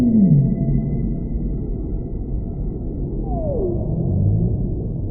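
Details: Whale sounds: a short low downward-sliding moan opens, then a higher descending sweep follows about three seconds later, over a constant low undersea rumble.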